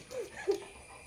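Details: Labrador Retriever named Simba, a jackfruit eater, indoors while being refused jackfruit: two short high-pitched whines, the second louder and sharper, in a small room.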